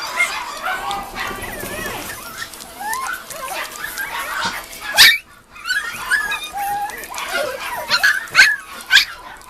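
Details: Mame Shiba puppies starting on weaning food, giving high, wavering whimpers and short yelps that rise and fall, overlapping one another, with a brief clatter midway and some human speech in the background.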